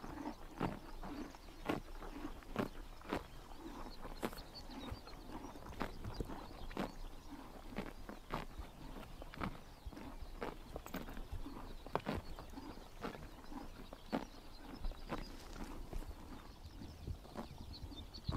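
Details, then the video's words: Horses grazing in the morning sun during a Mongolian summer, biting grass: crisp, dry tearing crunches come in irregular bursts roughly every half second to second, over a soft low outdoor rumble. "The sound of horses biting grass in the morning sun"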